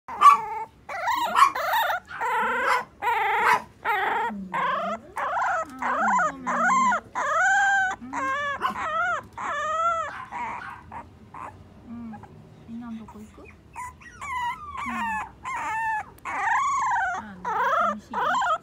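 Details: French Bulldog of the short-bodied American type whimpering: a run of high, wavering whines and short yelps, each bending up and down, repeated roughly once a second in uneven bursts with brief pauses between, nothing else audible.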